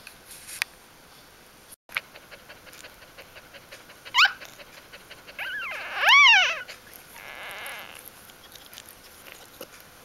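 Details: Newborn puppies from Ari's G litter during their first days of life, 1–4 October 2012, after her birth: a short high squeal arching up and down, then a fuller, wavering whine, over soft clicks and rustling indoors.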